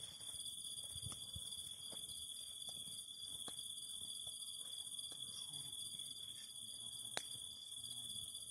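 Cicadas sing a steady, high, shrill drone, with the snap and crackle of a fire beneath.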